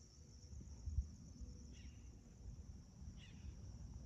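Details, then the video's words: Sunrise in August 2021 at a home in Magma Ranch, Florence, Arizona, with crickets keeping up a continuous shrill, even-toned trill. Two brief bird chirps break through over a constant low background rumble. "Spectacular Arizona Sunrise- With peaceful crickets & birds chirping Aug-2021"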